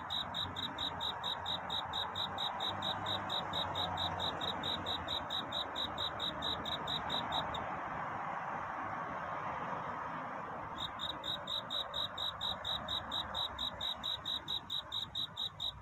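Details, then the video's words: Courting cricket at night toward dawn: rapid high pulsed chirps repeat steadily, stop for about three seconds while only a steady hiss remains, then start again. "귀뚜라미 울음소리. 슬퍼 말아요 우는 것이 아니라 사랑을 찾는 노래랍니다 구애의 밤"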